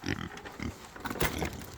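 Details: Kunekune pigs, female, let out on a farm during morning feeding, pushing hard and eager to play. Two short, low grunts come in quick succession early on, followed by a brief clattering rustle near the end.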